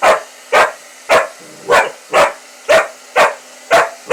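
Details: Lucy, a female Pitbull-Corgi mix, barks sharply and steadily about twice a second at a running hair dryer, whose low mechanical hum sits underneath.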